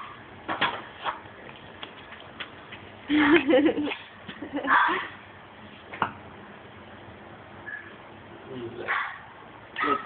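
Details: Three pet dogs, two Shih Tzu (male and female) and a male Maltese, worked up over cheese bits; irregular bursts of sharp barks and yips, with a louder cluster mid-clip and a human voice mixed in.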